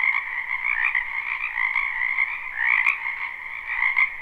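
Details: Many wild frogs croaking in a spring wetland behind a house, recorded live: a dense, continuous chorus of overlapping croaks in two steady pitch bands, with louder pulsing swells near the middle and end.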